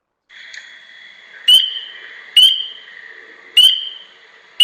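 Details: A single spring peeper, among the first frogs to call in spring, likened to a young chick: clear rising peeps repeated about once a second over a faint steady high background hum.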